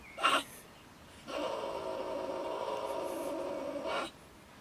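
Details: Angry female beech marten in Germany ranting at night from her woodpile by a shed. One sharp spitting burst comes first, followed by a long, steady, harmonic growling wail held for nearly three seconds.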